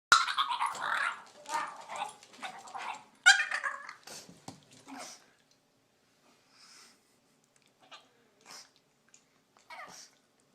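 A puppy makes a run of odd, raspy, squealing noises, loud at first and then trailing off into brief squeaks.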